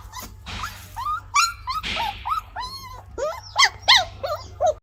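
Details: Gaddi dog puppy giving a run of high, tonal whimpering yelps, each bending up then down in pitch, about a dozen in quick irregular succession, some breathy and rough, with short silences between.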